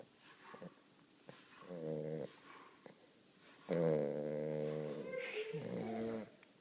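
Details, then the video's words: Weimaraner puppy taking a deep nap indoors: two drawn-out, rumbling, harmonic snores, one short and one longer lasting over two seconds, with quiet breathing between them in a small room. "Snoring dog"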